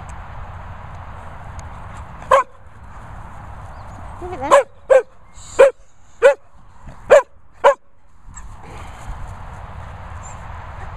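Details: Excited run of about seven sharp barks, one early and then a quick series spaced under a second apart, from a Sprocker or Labrador, Barney and Zeus, at Worcestershire kennels, while a man offers a sweet and laughs.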